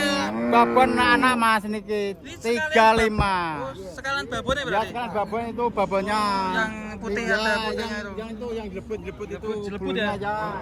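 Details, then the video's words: Cattle brought in on the first truck to a crowded, noisy site in Indonesia, giving drawn-out harmonic moos that overlap one another, with people's voices and shouting mixed through the scene. "KUMPULAN SAPI LUCU DARI TRUK PERTAMA KESINI RAME SEKALI"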